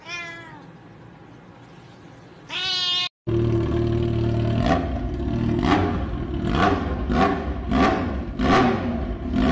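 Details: Blue-eyed Siamese cat meowing: a short falling meow opens, then a drawn-out rising meow near the three-second mark. These give way to a steady low rumble with rhythmic soft thumps and clicks.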